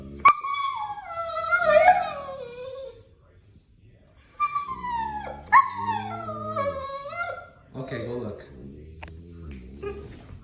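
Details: Domestic dog producing funny noises: three drawn-out, howl-like whines, each dropping in pitch from a high start, the last breaking into rougher grumbles, with a person's voice faintly heard.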